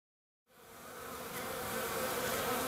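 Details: Hygienic honey bees south of St. Paul, Minnesota, on a 50-degree March 16th, hauling dead bees out through the entrance reducer. Silence, then a steady droning hum fades in and swells, with a low tone and faint overtones.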